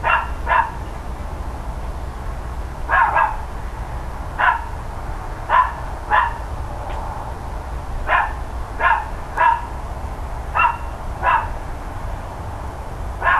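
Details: Loud barking from neighbouring dogs on a mid-October 2012 morning, short punchy barks arriving in pairs every second or two, over constant low rumble.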